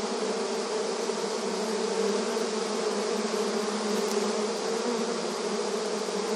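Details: Many honey bees active at a beehive entrance in soothing rural surroundings, making a steady, droning hum with strong low tones and a fizzing overlay that barely varies in loudness.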